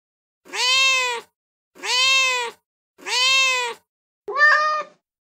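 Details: Cat meowing intended to draw cats' attention: three long, evenly spaced bright meows, each gently arched, followed by a shorter, wavering, broken-sounding final meow; no other sounds.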